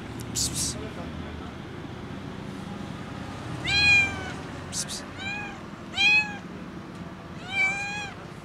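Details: Skinny kitten meowing loudly because it is hungry: four strong, drawn-out meows that bend up and down, coming every second or so in the second half, after a quiet stretch with brief rustling noises.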